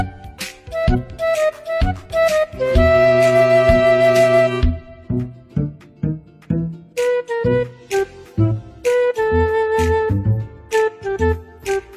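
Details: Instrumental music only: flute-like melody over bowed strings, short phrases repeating roughly every second with a sustained chord near the start and no animal voice.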